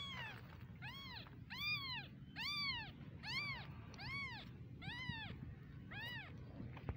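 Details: Tiny kittens calling with a steady series of seven or eight arched, rising-then-falling mews, roughly one every second, each clear and bright with strong overtones, over faint low background hum.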